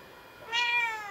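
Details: Domestic cat calling while shying away from a stuffed toy seal, ready to run off: a single drawn-out meow with rich harmonics, starting abruptly and holding steady for about half a second, over a quiet background.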